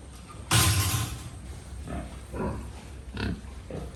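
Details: At a pig farm one loud, harsh squeal bursts out for half a second, followed by three shorter, softer grunting calls spaced about half a second apart.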